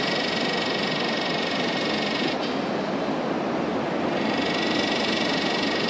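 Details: Yellowbelly cicada (Psaltoda harrisii) calling high up in a tree behind beach sand dunes in Northern NSW, Australia, on a windy day; a steady, unbroken buzzing drone with a bright high hiss, under rushing wind noise.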